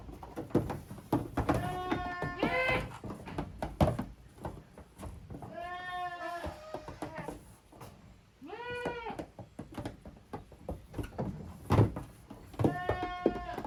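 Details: Kids of the goats Koharu and Okayu romp as two teams in a Japanese goat farm's exercise yard, 13 June 2023. Four separate bleats, some short and quavering and others drawn out, rise over steady thumping and clattering of play.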